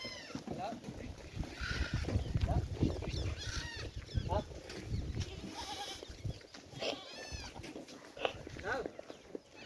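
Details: Goat bleats at a Rajasthan farm in India, short quavering nasal cries recurring several times amid steady human chatter and low background rumble.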